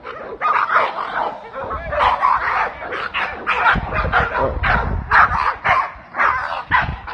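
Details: American Pit Bull Terriers barking at one another during an ADBA conformation show in Italy, 2022; a dense run of sharp, uneven barks and yips with some bumps and background voices.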